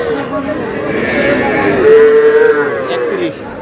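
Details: Young bull calves bought by a farmer in Comilla on 10 June: a short, steady, mid-pitched moo held for under a second amid constant crowd chatter and people's voices.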